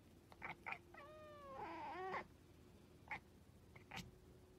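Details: Stray cat living on the street gives one drawn-out, wavering meow that bends downward and then rises before breaking off. Short taps and clicks come before and after it over a steady low hum.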